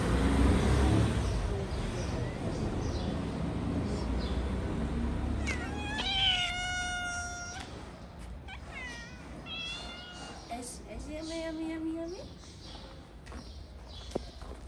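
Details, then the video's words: Stray cats in Morocco, friendly toward a person, give a series of harmonic meows, some rising then falling, in quick succession after a few seconds of low rumbling noise, with faint speech nearby. "Stray cats are very friendly."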